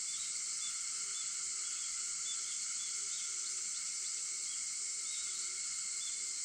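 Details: Early-morning cicada voices at 4:50 on 4 August form an unbroken high shimmering buzz, with steady lower tonal bands and soft, regularly spaced pulses beneath.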